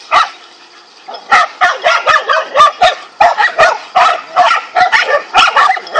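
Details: Five angry dogs barking as they confront a king cobra, rapid overlapping barks in dense bursts of three to five per second after a brief quiet opening.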